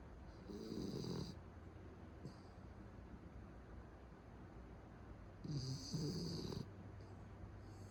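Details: Pet Beagle snoring in its sleep, two long grating inhalations about five seconds apart, with softer breaths and faint snuffles in between.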